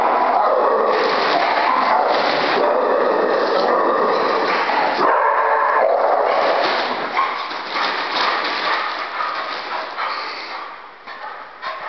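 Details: Beagles playing together at All About Paws: dense, overlapping barks and yips in quick succession, loud and busy for the first half, then thinning to scattered, quieter yelps as the play winds down.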